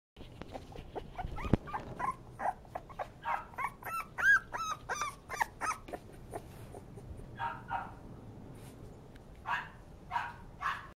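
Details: A male Bull Terrier gives a rapid run of high, yelping whines and short barks, some rising and falling.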